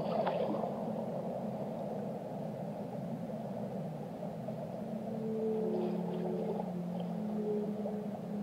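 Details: Underwater whale song with a dense, grainy hiss and rumble. Midway, short level tones and a low sustained moan rise out of the wash, with a faint higher squeak at the opening.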